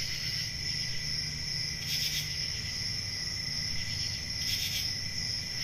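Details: Crickets on a peaceful country summer night, a steady high-pitched shrill trill held without pause, with two brief brighter pulses of louder chirping about two and a half seconds apart over a low rumbling background.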